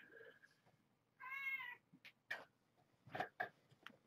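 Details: Morning at Purrfect Pals as curtains open to wake Marge, a once-stray mother cat, and her five kittens born November 22, 2014; one drawn-out, slightly rising then falling meow, followed by soft clicks and rustling indoors.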